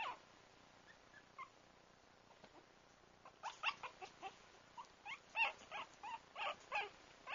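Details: Lira, a pug mix puppy, gives a series of short squeaky yips and whimpers. They start sparse, then come quickly and repeatedly in the second half.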